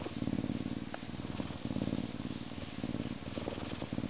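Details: Continuous low purring from a Canada lynx, a rapid even throb in rhythmic bursts that rise and fall with each breath, no other sounds.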